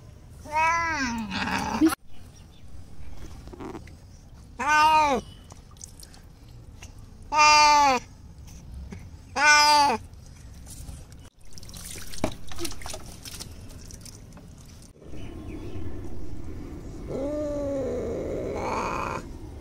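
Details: Bengal cat Simba, fearful of his bath, lets out four separate loud crying meows at about 2.5-second gaps, each arching up then down, followed by splashing water and a fainter muffled meow.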